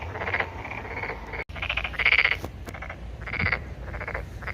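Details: Buzzy pulsed croaks, possibly a Korean narrow-mouthed toad or a toad, in bursts of about half a second, several overlapping, with a sharp click near the middle.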